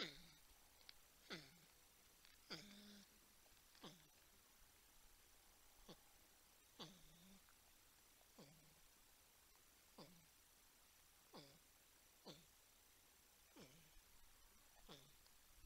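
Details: Wildlife cam at TWC, San Angelo, Texas, where a 10-point buck and a raccoon are drawn to porcupines: soft, regularly repeated whining calls, roughly one every one to two seconds, each falling in pitch to a low hum, in a quiet setting.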